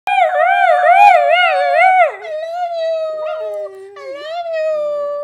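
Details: A male Italian Greyhound "sings", howling in a wavering, yodel-like voice that rises and falls rhythmically.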